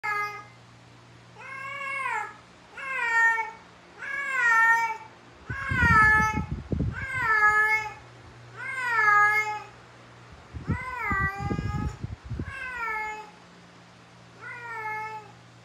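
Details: Persian cat (Felis catus), mating call: female in heat calling for a mate.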